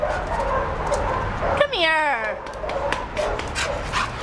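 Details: Young neutered male brown and white American Staffordshire Terrier mix, about 1 year 7 months old, at a shelter, gives one falling whine that drops from high to low over under a second, amid a woman's affectionate talk and background noise.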